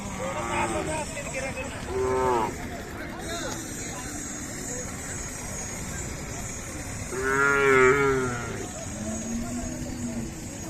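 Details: Khillari young bulls at Sangola on 28 April 2024 give several short, hoarse moos. Two come early, close together, and a longer, louder one follows near the end. A man speaks throughout, with faint background noise.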